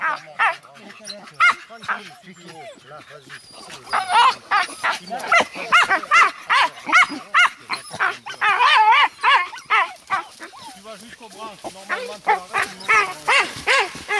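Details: Pack of Dachshunds baying at a wild boar on a hunt in France; dense, fast overlapping barks and yelps from several dogs, steady and insistent throughout, with a human voice in the background.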